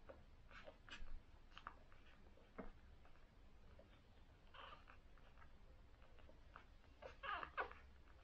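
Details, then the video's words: Newborn cocker spaniels, day one, from a litter of six: quiet suckling smacks broken by brief squeaky whimpers, with a sharper cluster of high squeals near the end over a low hum. "Newborn Cocker Spaniels : Day 1 (Puppy Suckling Soundtrack)"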